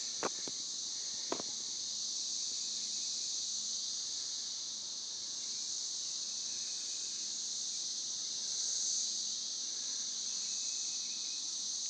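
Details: Periodical cicadas, the 17-year brood, singing on a rural property in Northern Kentucky after emergence; a continuous high shrill whine swelling slightly near the end, with a couple of brief clicks early on.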